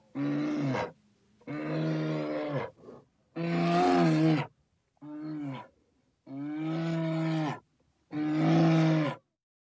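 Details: A bear gives six long, deep, groaning roars with strong harmonics, each lasting about a second and separated by short pauses, in an otherwise silent recording.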